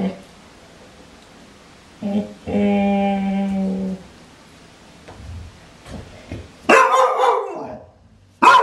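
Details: Clumber Spaniel indoors, first a long, steady, nasal whine lasting over a second, then two loud barks, with a person's murmur nearby in a small room.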